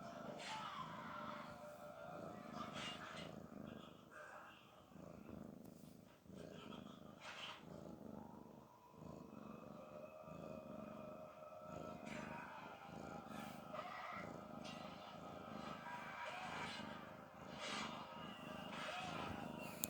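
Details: A cat named Garfield snores, a sound said to express relaxation and pleasure: a soft, low, rasping rumble pulsing steadily in short breaths, with faint tonal household background sounds running underneath.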